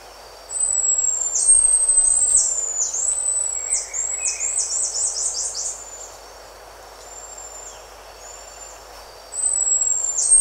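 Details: Close-recorded buffy-headed marmoset producing contact calls and other calls: a quick series of very high whistles and short downward-slurred notes, a pause, then another long high whistle. Faint lower chirps sit beneath.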